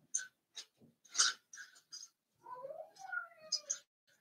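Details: Blenheim Cavalier King Charles Spaniel puppies, one of a litter of five born at New Year's, in an indoor puppy pen; soft scuffling and sniffing bursts give way to a thin, wavering whine that slides downward and trails off.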